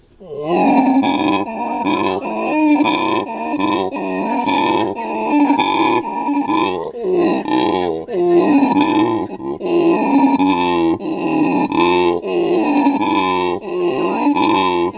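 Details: Male howler monkey in captivity at Monkeyland, South Africa, 'talking' with his mate and three offspring nearby; long sequence of hoarse, throaty grunts and groaning roars, pulsing in short bursts roughly every half second to second.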